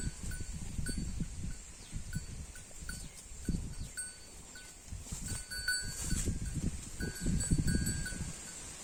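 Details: Holstein Friesian cow eating grass: low, rough crunching and tearing bursts come in quick uneven succession, several a second, over a faint steady ringing bell tone.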